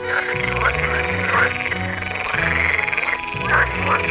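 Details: Courtship concert of water frogs (edible frog) filmed on a Canon G7X: rolling, pulsed croaking in repeated swelling bursts, several callers overlapping, with a waltz melody and bass playing underneath throughout.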